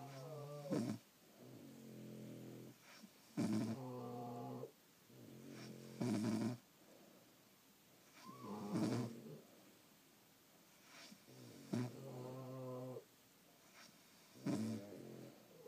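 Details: Sleeping French Bulldogs snoring in a room: sharp snorting inhales with a buzzy, growling edge, followed by longer harmonic exhales, repeating about every three seconds.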